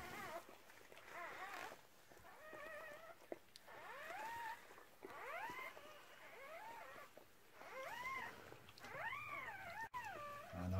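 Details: Repeated rising-and-falling squeals from newborn puppies of a red merle Cardigan Welsh Corgi, part of her first litter of six delivered in 2018. About a dozen bent, harmonic cries over ten seconds with short pauses.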